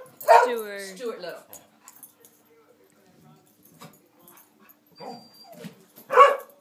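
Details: A dog playing with another dog gives a harmonic, sliding howl that drops in pitch, then a sharp yowl, while a person quietly tells it to be quiet.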